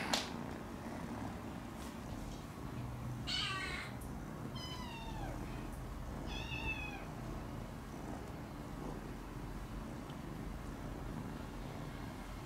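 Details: Rescued motherless kittens playing with cardboard boxes at home give three short, high, falling meows close together mid-clip, each rich in stacked overtones, over a steady low household hum with a few faint clicks.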